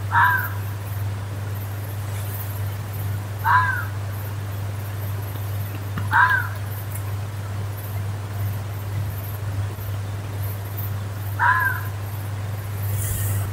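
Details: In woodland, a fox gives four short, rasping screams spaced irregularly a few seconds apart, each dropping in pitch, with a steady low hum in the background.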